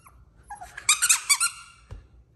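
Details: Ten-week-old male Yorkshire Terrier puppies, three together indoors; a short run of high, squeaky whimpering yelps in a quick burst of about six notes, then a soft thump.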